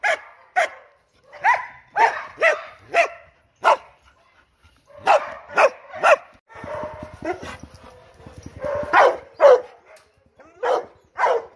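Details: Loud dog barks in short clusters of two or three, separated by brief pauses, with a low rumbling stretch in the middle before the sharp barking resumes, played to rile up household dogs and cats.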